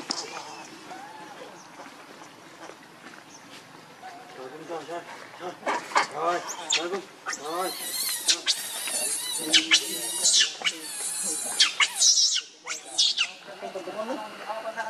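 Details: Angry, hungry baby monkey Leo Rainbow pleading with its mother for milk; quiet whimpers build into loud, high, trembling screams from about six seconds onward, coming in close repeated bursts.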